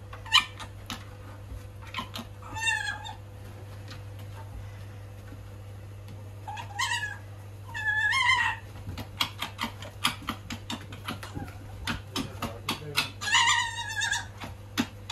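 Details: Little fox on its first day in a cage with a wild fox. It gives short, rising-and-falling whining calls in bursts near 2.5, 7, 8 and 13 seconds. Scattered clicks and taps sound between them over a steady low hum.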